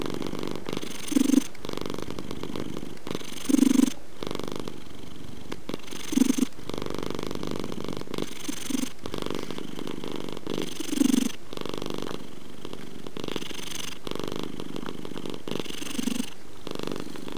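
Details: Domestic cat purring: a low, steady rumble swelling into louder breathy pulses about every two and a half seconds.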